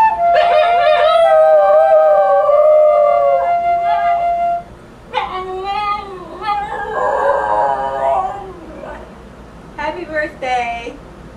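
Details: A Basenji sings Happy Birthday to a flute accompaniment, yodelling and howling in wavering, rising-and-falling tones.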